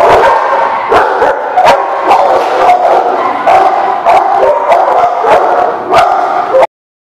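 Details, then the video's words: Several dogs bark at once, giving a steady stream of overlapping short, sharp barks and higher yips with no pauses, ending abruptly. "The Barking Lot"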